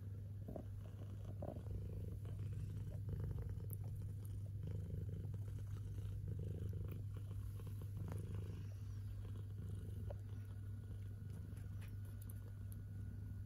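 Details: Steady, deep, rumbling purr from kittens enjoying their food, held unbroken and even in loudness, with soft ticks and small chewing sounds scattered over it.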